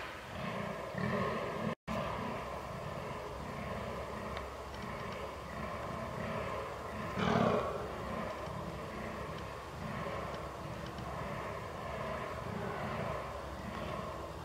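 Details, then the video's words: Rutting fallow deer on 22 October 2022, captured with a Canon R6: a quieter run of low, rhythmic grunting groans about once a second, one stronger burst midway, with a brief dropout near the start. "DAŇČÍ ŘÍJE / FALLOW DEER RUT"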